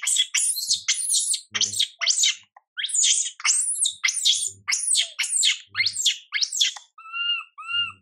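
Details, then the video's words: Young monkey MILA, ignored by mother MILIKA, cries out in a rapid run of shrill, sweeping screeches, about two per second, ending with two softer whistled whimpers; faint low thumps beneath. "Mom MILIKA doesn't care monkey MILA cry, PIty girl MILA cries out"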